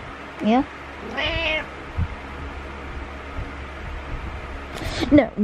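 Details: Pet cat Butters meowing to rouse its owner in the morning while headbutting. A short rising meow, then a longer wavering one, and a final quick pair of meows, with a person's voice and bedding rustle in the room.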